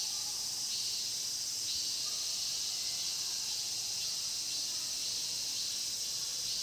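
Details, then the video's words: Cicadas singing in the Mokgye pine grove at Cheongsong, a dense continuous high buzzing chorus that never pauses, with slight shifts in intensity every second or so and faint lower chirps beneath. "청송 목계솔밭 매미소리' cicada sound"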